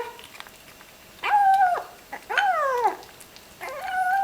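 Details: Ginger kitten vocalizing over its meal, three bent, nasal mews in quick succession, each swelling and then dropping in pitch, separated by brief pauses.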